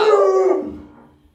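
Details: Pet Alaskan Malamute Luoluo reacting to its owner lying sick in bed: a short, clear howl of about half a second that quickly fades away into quiet.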